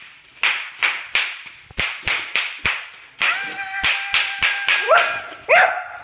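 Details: Boxer dog named Mia confronting bubble wrap, her nemesis: rapid run of sharp pops and short barks roughly every half second, ending in higher whining yelps with clear tonal bands.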